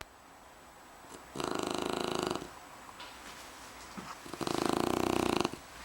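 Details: Aytash, a sleeping Shar Pei, snores indoors: two loud, rattling, pulsed breaths around one second each, separated by quieter stretches of faint breathing.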